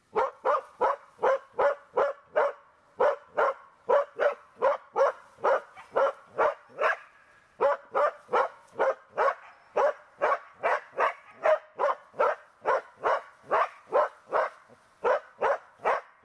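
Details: Border Collie named Tara barking during search and rescue training: steady run of short, sharp barks, roughly two or three per second with a brief pause near seven seconds, no other clear sounds.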